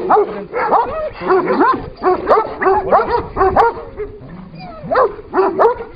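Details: ['Kangal versus Kangal in a scuffle: separate rising yelps and gruff barks come about one per second, with whining tones between the louder bursts.']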